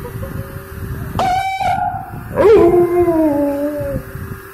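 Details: A male dog answers a car siren with a short, quavering howl that swells then slowly falls, following a brief harsh electronic sweep; a steady low hum runs underneath.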